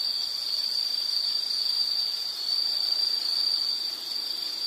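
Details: A high, continuous insect trill, almost unbroken and fairly even, with only slight swells in loudness over a few seconds and a soft hissy background.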